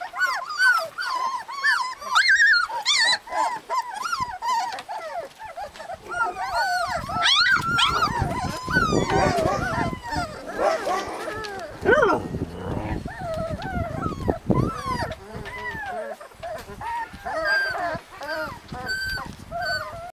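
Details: A litter of husky puppies in Lapland whining and yelping together, a dense overlapping chorus of arched high cries with scuffling and rustling noise in the middle stretch.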